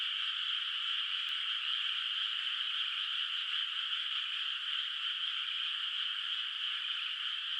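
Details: Night chorus of frogs in a rice field under moonlight, water not yet planted with rice; continuous high trilling from many callers blends into one steady hum, with one faint click early on.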